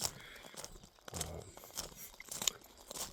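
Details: Dry crunching and chewing noises with a brief murmur of voice, but no animal call.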